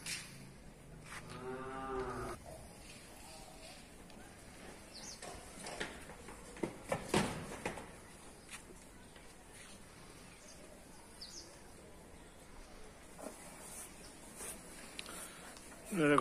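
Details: A cow at a gaushala (cow shelter) in rural Rajasthan, India, gives one short, harmonic moo about two seconds in. Faint clicks and handling noises follow, with a louder burst right at the end.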